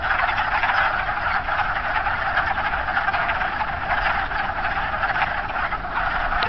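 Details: A dense spring chorus of wood frogs in a pond on March 9 makes a steady mass of rough, clucking croaks that overlap without pause.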